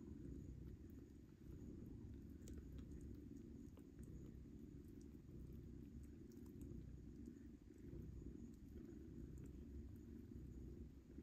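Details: Domestic cat with kittens being weaned, the kittens fighting for their mother's milk; a steady low rumbling purr runs through the whole stretch, with faint soft clicks above it.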